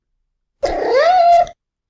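A domestic cat gives a trill meow, a rolled trill that rises and flows into a meow.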